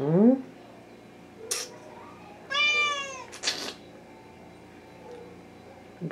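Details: Hungry Thai cat (wichienmaat) indoors at night, one clear drawn-out meow in mid-clip, surrounded by a short human utterance and clicks or knocks in a small room.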